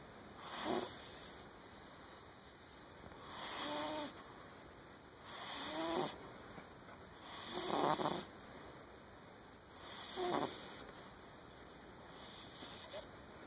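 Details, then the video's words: Pet cat with sleep apnea snoring in its sleep: breathy, rasping snores with faint wavering wheezy tones, five in a row spaced about every two to three seconds, over a steady soft hiss. "My cat snores."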